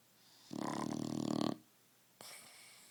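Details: Sleeping dog named Roxy giving one long, rattling, buzzy snore lasting about a second, followed by a quiet pause and a softer breath.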